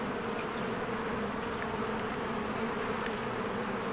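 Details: Many honeybees working around their hive in spring fill the air with a steady, low droning buzz. Faint, short high notes flick in briefly over the hum.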